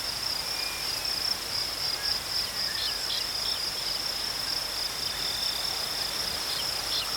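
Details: Crickets chirping in a steady, unbroken high trill that holds one even pitch throughout, with faint scattered higher ticks and a soft background hiss.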